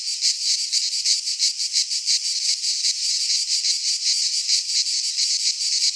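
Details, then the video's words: In a Greek pine forest at midsummer, many cicadas keep up an unbroken high, hissing drone, its texture rippling with fast pulses for six seconds; no birds, wind or people audible. "Cicadas singing in midsummer - Nature sounds from the Greek fauna - Sounds of cicadas"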